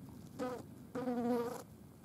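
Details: Green bottle flies on a dead mouse: two short bursts of buzzing, a brief one then a longer one, with a steady mid-pitched hum and clear harmonics against a quiet background.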